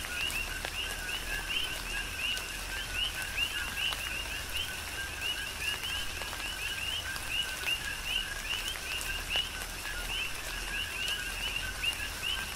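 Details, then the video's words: Rhythmic chorus of coqui frogs during tropical rain on Hawaii's Big Island, dense repeated two-part chirps rising from low to high, several callers overlapping continuously while raindrops patter and splash throughout. "Tropical Rain & Coqui"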